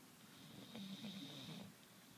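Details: English bulldog named Carmela snoring: one low, rough, rasping inward snore with a brief nasal buzzing tone in the middle, over a steady faint hiss.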